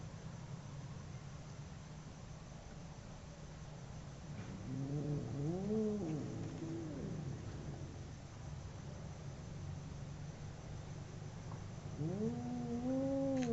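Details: Two fighting domestic cats, a short arched howl after several seconds of low rumbling quiet, then another rising wail at the close, steady low hum underneath throughout.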